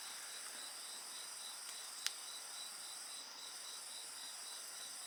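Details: Short stretch of steady insect trilling, high and shimmering with a fast repeated pulse, interrupted once by a sharp bonfire crack.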